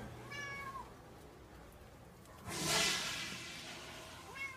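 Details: Domestic cat indoors giving two short meows, one near the start and one at the end, each a bright harmonic call that rises then dips; a loud rustling burst fills the middle.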